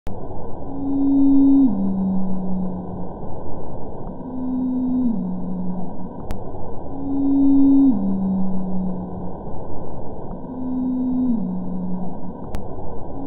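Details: Antarctic blue whale Z calls recorded in 2002 and 2017, sped up about ten times, the later call lower in pitch: low, tonal moans stepping down in pitch, repeated about every three seconds.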